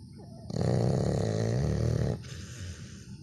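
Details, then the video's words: Labrador Retriever snoring: one long, low, rumbling breath of about one and a half seconds, buzzy and richly layered, then fading to soft background hiss. "Лабрадор храпит."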